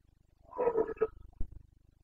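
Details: Carpathian red deer stag roaring during the boncănit rut in the Bucovina mountains of Romania, 29 September 2022: a loud, rough, harmonic bellow lasting about half a second, then a shorter grunt and a brief knock over a low hum.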